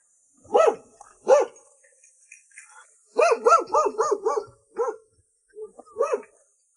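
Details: A big domestic dog near a farmhouse in the Guizhou mountains barks at a visitor: two single barks, then a rapid burst of about six, then scattered single barks, with a faint steady high hum behind.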